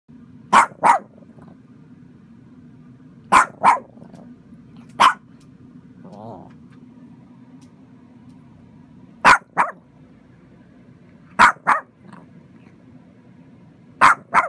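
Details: Chihuahua puppy barking to alert its family to an intruding millipede indoors: sharp short barks, often in pairs, in bursts about two to three seconds apart with quiet hum between.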